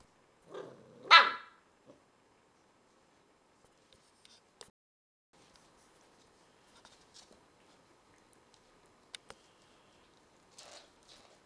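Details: Dog hiding under a couch from another dog, giving a single sharp bark near the start, followed by near silence with faint scattered taps and rustles.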